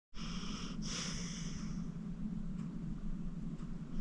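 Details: Acorn, a 14-year-old rescued pit bull adopted from the Cuyahoga County Animal Shelter, deep asleep at home and snoring. One rough, airy breath surges around the first second over a steady low rumble, then fades back to soft breathing.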